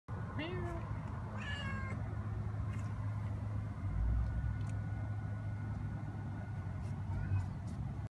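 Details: Young black cat from Southern California meowing back at a person: two short rising harmonic meows in the first two seconds, then steady low rumbling background noise with faint clicks.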